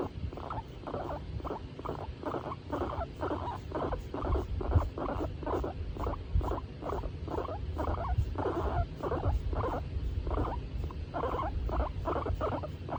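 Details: Tomato, a female skinny pig, in a good mood while being stroked, gives a steady run of short rhythmic murmuring bursts, roughly two each second for the whole stretch, over a low rumbling background.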